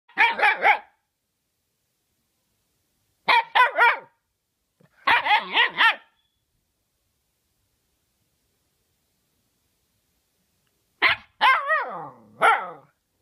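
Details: A young female Siberian Husky named Sequoia, a family pet in her first year, barks during play: clusters of three to four sharp, harmonic barks in bursts separated by silent gaps, the final bursts sliding downward into whiny tails.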